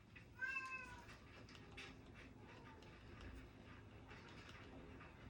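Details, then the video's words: Indoor house cat crying on 16 July 2025 beside someone studying Japanese: a clear, slightly wavering meow right at the start, then fainter short mews, over light clicks and desk sounds. "고양이가 울어 조용하지 않아요"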